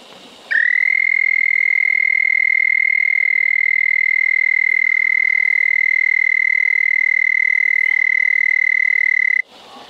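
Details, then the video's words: At night by a flowing creek in a remote desert canyon, a frog sings nearby. It gives a single sustained, high, buzzing trill of even pitch lasting nearly nine seconds, with soft ambient noise before and after. "Frog Song"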